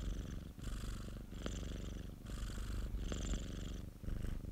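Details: Domestic cat Popo, a pet, purrs continuously close up; deep throbbing rumble in long breath-linked phases of about one to two seconds, each inhale-exhale switch marked by a brief dip and soft breathy hiss.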